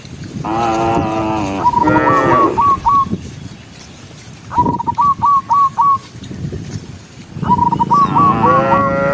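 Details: Tame cattle walking as a group on a countryside path at sunset, calling others home; two moos open, a short low bellow follows midway, another moo closes, with rapid repeated chirping trills in the pauses.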